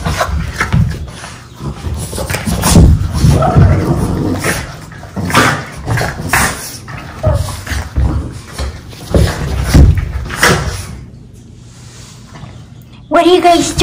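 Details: Two Boston Terriers play fighting indoors in a 'bitey face' game, tumbling and wrestling: low, throaty growls and grumbles in uneven bursts with scuffling thumps, quieting near the end before a brief human voice.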